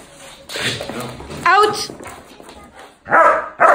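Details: A Doberman puppy learning hold-and-bark training gives short, sharp barks on command while a trainer's voice gives instructions.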